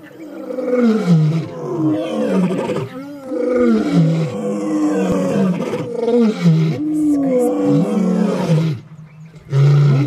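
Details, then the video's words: Pride male lion at a lodge waterhole with two females, morning, after vervet monkey alarm calls: a deep, powerful roaring sequence of long moaning grunts that rise then fall, repeated several times, ending in short low grunts. "the Western pride male's earth shaking roar"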